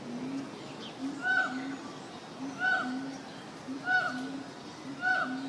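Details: Monkeys at the zoo call in the background: a short harmonic hoot with a brief higher overtone, repeated about every 1.3 seconds over a steady low hum.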